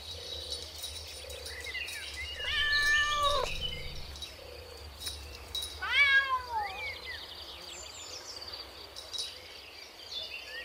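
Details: Cat with kittens playing together on green grass outdoors; two bursts of high, harmonic meows, the first drawn out and falling, the second shorter and bent, over faint bird chirps and steady outdoor background noise.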